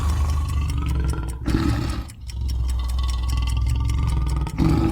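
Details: Lion roar used in an animal sound guessing quiz: deep, rumbling sustained low growl with two louder rasping surges, set against a dense broadband background.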